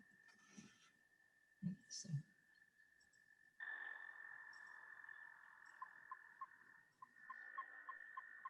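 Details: A male American toad in Maine gives a long, steady, high musical trill at constant pitch, not oscillating, held for several seconds; a second, louder stretch follows, with brief human voices in the background.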